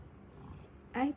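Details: Male pet cat indoors in the morning, meowing for attention and cuddles while its owner is on the phone; one short rising meow near the end, after a quiet room, with a person's voice nearby.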